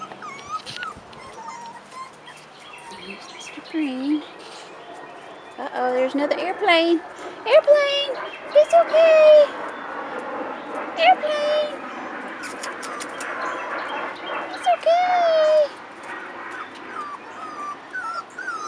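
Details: Rottweiler puppies, 4.5 weeks old, outside for the first time, give scattered high whimpers and short squeals, some sliding downward, over steady human talk.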